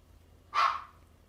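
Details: Female Selkirk Rex cat with black smoke coat, born 23 November 2020, giving a single short meow rising to a bright peak and then trailing off, in a quiet room.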